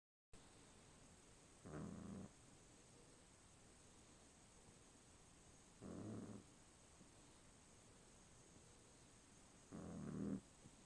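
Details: Sleeping dog snoring, three low rasping snores spaced about four seconds apart over a steady background hiss.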